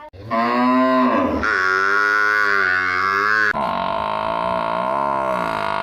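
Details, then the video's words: Village buffalo giving a long, continuous loud bellow lasting over five seconds, rich and harmonic, shifting pitch partway through and ending in a wavering tone. "our buffalo's sound video"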